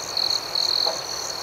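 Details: Crickets at night: two steady high-pitched trills, each lasting about a fifth of a second, ring out over a constant shimmering chorus of further crickets pulsing just above them.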